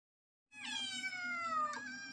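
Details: Domestic cat with kittens, meowing loudly: one long, clear, harmonic-rich meow that starts high and slides slowly downward, with a steady low hum underneath.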